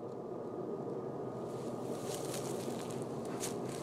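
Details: Outdoor wind buffeting the microphone with broad rumbling noise and brief hissy bursts, no animal voice heard.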